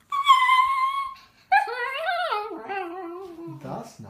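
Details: A female Italian Greyhound 'sings' on her owner's prompt with a drawn-out, high howling tone that wavers and slides downward.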